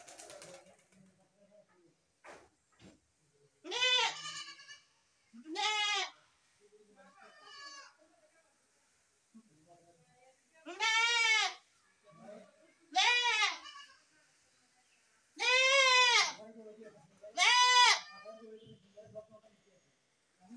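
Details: Goats bleating repeatedly, about seven loud wavering calls of varying length scattered over twenty seconds, some overlapping with softer bleats and faint background voices and knocks.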